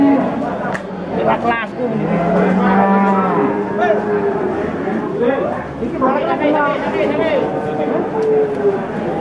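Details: Limousin cattle give long, low, drawn-out moos that rise and fall amid a busy crowd at a cattle market on a morning.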